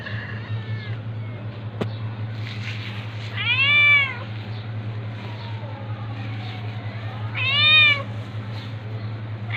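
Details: Domestic cats, a tabby attacking a ginger cat; two drawn-out, arching meows rise then fall, the second about four seconds after the first, over a steady low hum and faint background noise.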